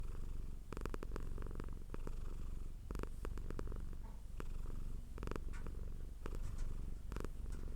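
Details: Domestic cat purring hard, recorded up close indoors; a steady low rumble throughout, broken by several brief broadband rustling bursts.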